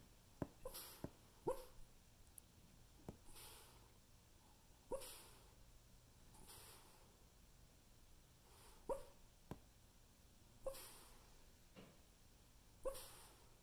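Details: A Havanese dog barking in his sleep gives soft, muffled little woofs and huffs at irregular intervals.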